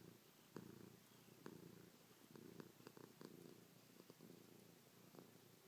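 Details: Purring from Chloe, a domestic cat pressing close while kissing, pawing and licking her owner's face. A continuous low vibrating rumble with faint ticks and rustles scattered over it.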